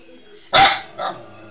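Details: A house dog in Bangladesh or India barking at the owner's wife, whom it does not recognise: one sharp, loud bark followed half a second later by a softer, shorter yelp, in a quiet room.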